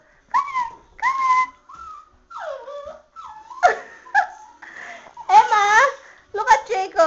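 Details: Chihuahua stuck in a bathtub and unable to get out, whimpering: thin, high whines that rise then level off, repeated a few times, mixed with people talking to it in Dutch and English in a small indoor room.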